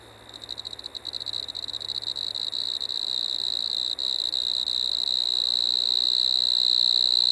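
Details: Pteronemobius lineolatus, the Striped Marsh-cricket, at Maggia, Switzerland, 1 September 2023; song begins as rapid stuttering pulses that quicken and swell, merging into a loud continuous high trill.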